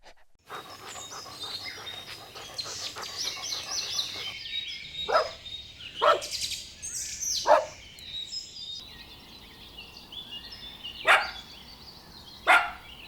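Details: Puppies running and playing together on a lush green meadow give sharp, scattered barks, about five spaced over several seconds, against continuous chirping and tweeting birdsong in the background.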